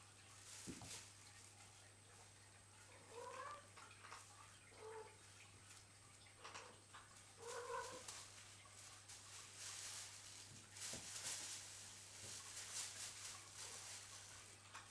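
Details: Indoors, Cheeta and Poema's nine kittens at play in a room set up for them; a few soft, short mews with clear harmonics cluster between three and eight seconds, over scratching, knocking and thumping of toys and paws, plus a low electrical hum.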